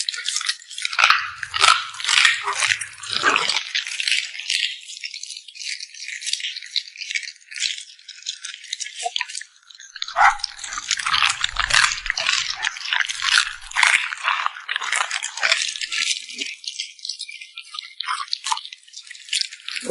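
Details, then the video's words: Puppy smacking its lips over a meal, recorded close: irregular rapid wet smacks and crunchy clicks, roughly a hundred bursts a minute, with brief dull knocks at the start and in the middle. "Immerse yourself in the sound of a cute puppy smacking its lips"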